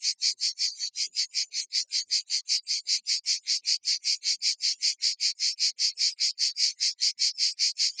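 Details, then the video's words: Provençal cicadas singing intensely near Vaison-la-Romaine, Provence: a loud, very regular, dry buzzy pulsing chorus, about two and a half pulses per second, high-pitched and steady throughout, with no other sounds. "présent même quand les cigales se déchaînent."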